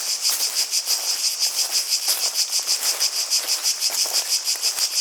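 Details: Shrill cicada song beating in very regular pulses, around three each second, bright and high-pitched over a quiet background with a couple of soft taps.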